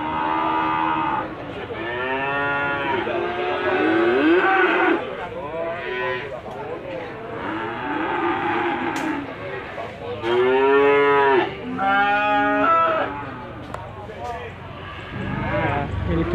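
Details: Limousin calves calling at Gondanglegi market, Malang, East Java, 12 February 2020: a run of separate bending moos, each one to two seconds, arching up then down, with market chatter and clatter between.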